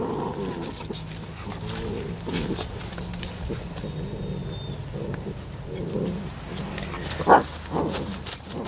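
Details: Seven-week-old Labrador Retriever puppies give a string of soft, harmonic whines and short yelps. A sharper high yelp comes near the end over steady background rustling.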